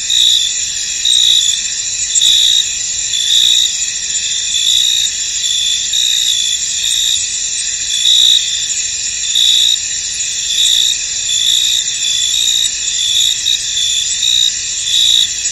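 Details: A foggy field full of crickets gives off a constant high, ringing chorus, while a sharper chirping layer pulses in and out roughly every second and loudness rises and falls slightly throughout.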